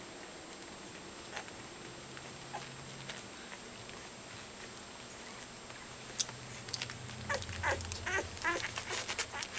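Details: Two-week-old Soft Coated Wheaten Terrier puppies crawling about, their eyes nearly ready to open and just starting to walk; soft shuffling and clicks give way near the end to a few short, high, wavering squeaks and whines.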